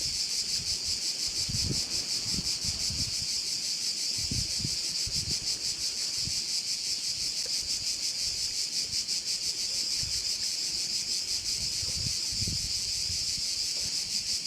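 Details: Bay on Korčula, Croatia, filled with crickets: a continuous piercing, pulsing trill, roughly three beats per second, over scattered low thumps of wind on the microphone.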